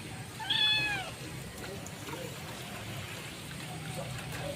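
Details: Stray mother cat meowing to call her kitten: one clear falling meow with bright harmonics near the start, then quiet background with faint trickling and low rumble.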